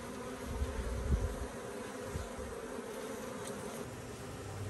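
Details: Bees in activity, recorded recently or the previous year: a continuous humming buzz over deep, rumbling low-frequency thumps that rise briefly near the first second, otherwise steady.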